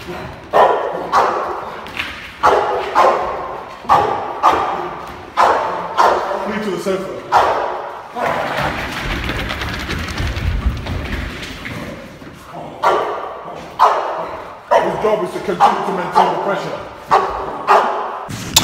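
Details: Barks come in a steady run, roughly one every second, from Reggi, a Boxer puppy of six months working through protection training. There is a brief noisy pause midway, and a man's voice talks between the barks.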